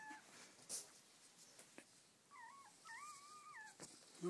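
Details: Newborn Border Collie puppies during an indoor whelping, as their mother gives birth: two thin, wavering squeaks with a rise and dip, then a longer undulating whine, over faint handling rustles and clicks.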